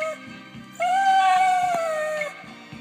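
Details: Dog keeping up its trick of singing to a Beatles ballad at its owner's request: one long, loud, level howl of about a second and a half, with guitar music playing underneath.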